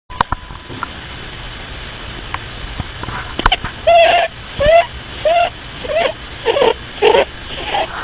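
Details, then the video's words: A sleeping bunny snores in squeaky, whistle-like nasal notes that begin after about four seconds and then repeat roughly every seven-tenths of a second in a steady breathing rhythm, over a quiet background hiss. "Snoring Bunny"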